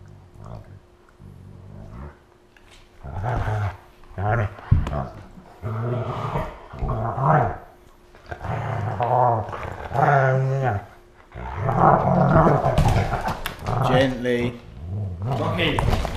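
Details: Siberian husky play fighting with an Alaskan Malamute while both lie on the floor indoors, August 2014: rough rumbling growls in bursts every second or two, rising into louder, snarling grumbles toward the end.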